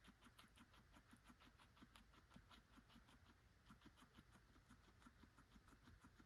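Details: A guinea pig eating carrots, recorded May 11, 2024, crunches steadily with rapid soft chewing clicks several times a second.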